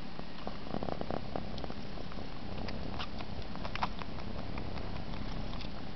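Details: Egyptian Mau cat purring contentedly while sucking its paw, a continuous low rumbling purr with soft wet clicks and sucking noises scattered across it.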